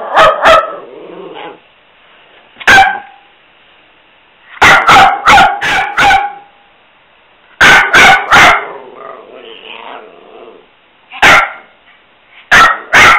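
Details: Pet dog barking during play time, with short vocalising in between; sharp barks come singly and in quick bursts of three to five, separated by pauses and softer whining, grumbling sounds.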